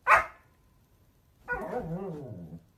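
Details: Siberian Husky giving a short sharp bark, then a longer wavering howl-like vocalisation with a falling, yodelling pitch after a brief pause.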